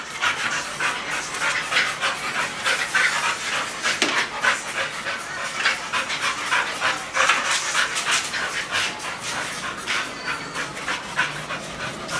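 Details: Pitbull and bull terrier playing together; rapid breathy panting, quick rhythmic huffs about three per second, loud and close, with scuffling noise throughout.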